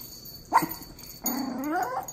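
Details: Two dogs meeting, a Miniature Pinscher puppy of 2 months and a Dachshund aged 1 year 6 months: one brief high yelp, then a rising, rasping growl-whine of nearly a second.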